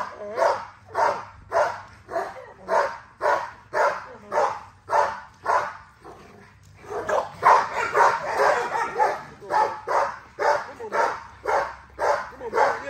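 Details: Exercise session with a driven female XL American Bully: a long run of rhythmic barks, a short pause near the middle, then denser overlapping barking resuming at a brisk pace.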